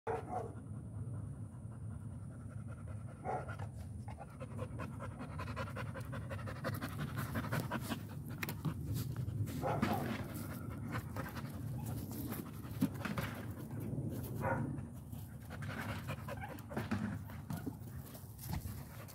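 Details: American Pit Bull Terrier (Canis familiaris), panting.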